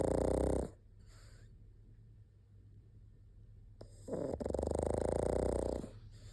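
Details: Sleeping pug: a fluttering snore ends, a quiet pause with soft breathing follows, then a second longer buzzy snore begins after a faint snuffle; steady low hum throughout.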